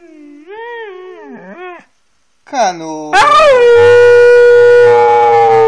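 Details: Siberian Husky making soft, arching whines, then after a pause a sharp rise into a loud, sustained, steady howl held for over two seconds.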